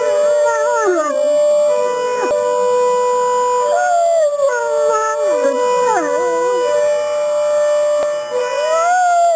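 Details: Two Great Danes of differing size howl in response to a broadmoor alarm, their voices bending and sliding downward in drawn-out wails against a steady electronic alarm tone.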